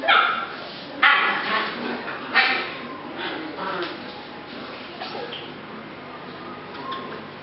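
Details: Rescue puppies of the Z litter, recorded July 8 2016, give sharp high yips near the start and again a little later, followed by softer scattered yelps over a steady background of human voices.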